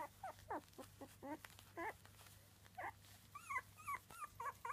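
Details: Three-week-old Miniature Dachshund puppies whining and squealing, some calls sliding down in pitch and others wavering higher and rising, given in uneven bursts about every half second.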